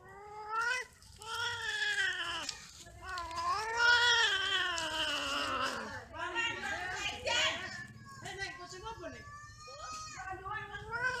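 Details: Cats during mating and quarrelling, giving loud caterwauls: long harmonic yowls that swell, waver and slide downward, overlapping in places, with shorter broken wails and brief gaps later, over a low background hum.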